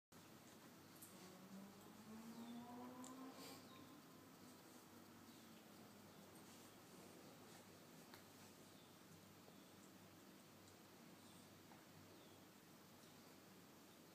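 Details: Miniature Schnauzer named Jack, a pet dog playing with a shoe indoors, gives a thin rising whine that climbs steadily over about two seconds, followed by long quiet stretches with faint room noise.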